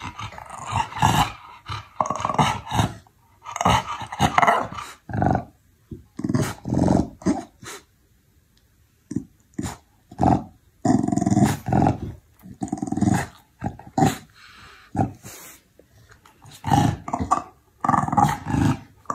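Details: Chow Chow dog producing rough growling and grumbling vocalizations in repeated bursts of about half a second to a second, separated by short pauses, fairly loud and close.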